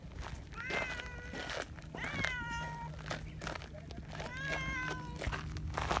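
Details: Donchan, a large black boss community cat, affectionate while being petted outdoors; three drawn-out harmonic meows, each sliding downward, spaced about every two seconds, with low rumbling background and faint speech.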